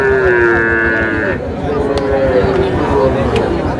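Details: Sahiwal bull calf at a cattle market in Mymensingh, Bangladesh, in May; a long steady moo opens, followed by shorter bellows amid loud market chatter and clicks.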